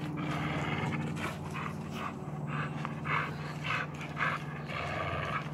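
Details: During a rope tug game with a blue blood bulldog, American Staffordshire terrier Tyson pants in quick, harsh breaths, roughly twice per second, layered over a low droning growl and light rustling.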